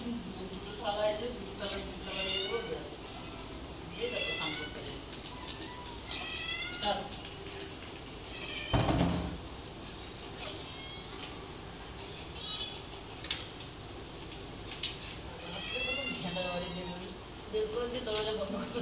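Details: Domestic cats crowding into a kitchen after lunch give sweet, loud meows, a wavering series of rising and falling calls, mixed with a person talking and a sharp bang near the middle.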